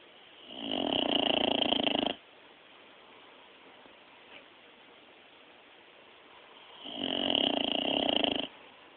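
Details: A sleeping dog, recorded on a mobile phone, snores in two breathy, rasping bursts of about one and a half seconds each, roughly six seconds apart, with quiet hiss between them.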